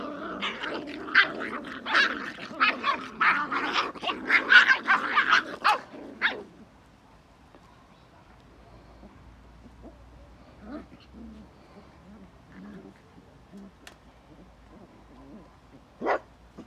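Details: Belgian Malinois barking and growling in a rapid, rough volley for about six seconds, then near quiet with a few soft whimpers and one last short bark.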